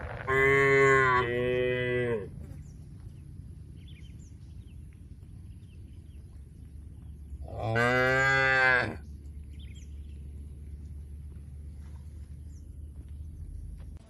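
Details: Tame cattle being herded to a wide field in the countryside: two loud, drawn-out harmonic moos in quick succession at the start, then a quiet stretch, then a third long moo, over a low steady rumble.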